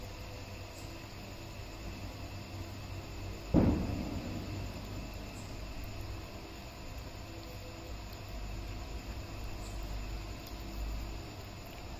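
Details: Quiet low rumble interrupted once by a single sharp knock, with no animal sounds.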